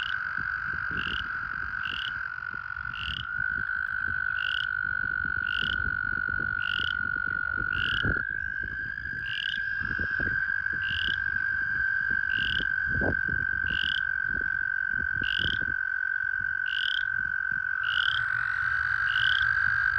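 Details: American toads in breeding season give long, steady, musical trills overlapping into a continuous chorus at a puddle and pool breeding site, with toads in amplexus.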